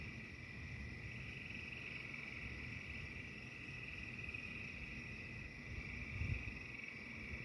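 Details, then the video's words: Chorus of frogs singing under a stormy thunderstorm sky, a continuous high-pitched trilling drone that holds steady throughout. A dense low rumble fills the background and swells briefly toward the end. "The frogs singing to the angry sky."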